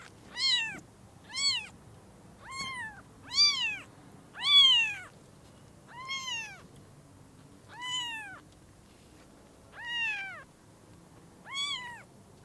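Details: Newborn kittens, eyes newly opened, seeing their mother cat for the first time at Lucky Paws. Nine high, arched mews at an even pace, each rising then falling, spaced about a second apart in a quiet room.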